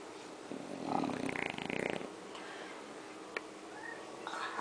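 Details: French Bulldog named Jorge snores: one rough, rattling inhale of about a second and a half, followed by quiet breathing, a sharp click, and the start of another snore at the end.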